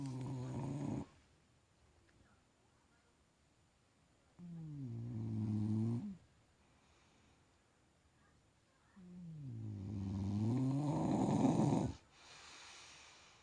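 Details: Sleeping bulldog snoring comfortably indoors: three long, rough, low droning snores with wavering pitch, spaced about four seconds apart and separated by quiet breathing pauses.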